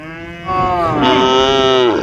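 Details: Herd of cows walking and grazing in green fields; one cow gives a single drawn-out, rich harmonic moo lasting about one and a half seconds, starting abruptly and fading slightly at the end.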